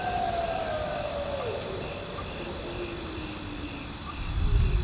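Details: Wolf howling amid thunder and rain: a long smooth tone sliding down from mid pitch to a lower note over about four seconds, with a fainter second tone trailing after, over steady hiss and a constant high insect-like drone.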